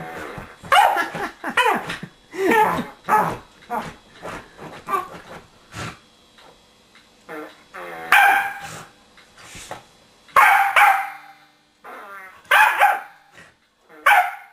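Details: Corgi named Queenie at home going after a remote control whoopie cushion tucked beneath a sofa cushion; a run of rapid yips gives way to a pause, then several loud, harsh barks spaced a second or two apart, with occasional speech.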